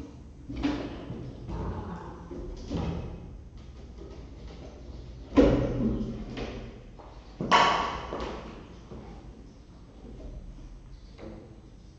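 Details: Indoor thumps, door slams and a few bits of speech over a low room hum, with no animal voice.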